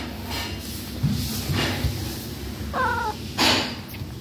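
A Persian cat gives one brief, wavering meow among bumps and household noise.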